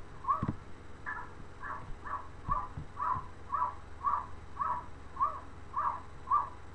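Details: A domestic cat barking out of a window, a famously odd behaviour: short, harsh, evenly spaced calls repeated about every half second, with a faint low hum underneath.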